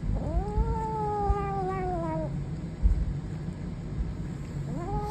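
A Savannah kitten gives a long, moaning growl that swells upward, holds, then sinks, over a low rumble.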